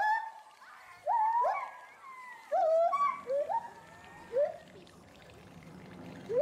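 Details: Agile gibbons Samuel and Duana, the resident couple at Bristol Zoo Gardens, UK, calling loudly in agitation at something seen in the bulrushes below; loud rising whooping notes sweep upward in bursts, some overlapping, with faint background murmur.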